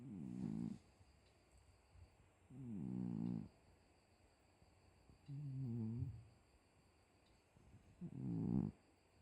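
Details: Sleeping house cat snores in a steady rhythm: four low, gravelly, vibrating breaths of under a second each, about every two seconds, with a thin constant high-pitched hum behind.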